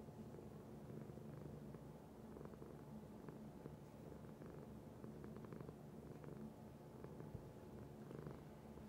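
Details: Pet cat giving a low, continuous purr, a dense rumbling drone with rhythmic pulses, overlaid by a few brief soft clicks and rustles.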